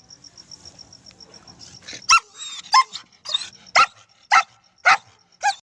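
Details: Pet German Shepherd puppy barking while being told to sit in Hindi: a run of about seven sharp, high-pitched yelping barks, roughly one every half second, over a constant thin high whine in the background.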